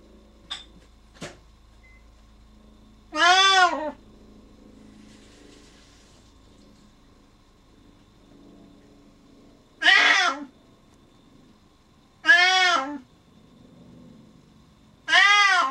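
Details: Sean, a male Siamese cat left alone behind a door when his owner's mother goes downstairs, meowing very loud and noisy; four long, wavering, harmonic-rich yowls, the first near three seconds, then three more at roughly two-second spacing, in a quiet room.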